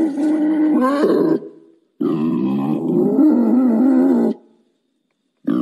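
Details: Wild boar calling to mate: two long, tonal, moaning grunts, the first about one second and the second over two seconds, each with a wavering pitch and separated by complete silence.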